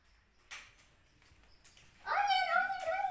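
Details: Orange cat, described as cute and playful, letting out a single drawn-out meow that rises then levels off and slowly falls, following a few faint knocks and a softly spoken word.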